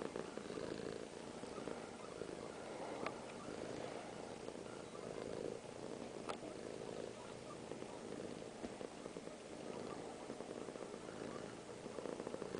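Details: Cat named Piper purring contentedly while being held; continuous low rumble swelling and fading with each breath, about every one to two seconds, with a few faint taps in the background.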